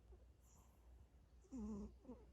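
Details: Sleeping cat, dreaming, said to be snoring: a soft, short, tonal murmur with a slight wavering pitch, then a fainter brief squeak, over a quiet room hum.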